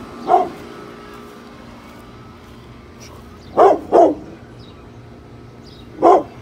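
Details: Brindle pit bull Bullet protecting the home from construction workers working outside: an isolated bark, a pause of three seconds, a quick double bark, then another single bark, over a steady background hum.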